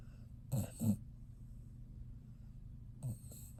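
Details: Resting dog snoring: two short, rough snorting breaths in quick succession near the start, then a softer third breath about two seconds later, over a quiet low background hum.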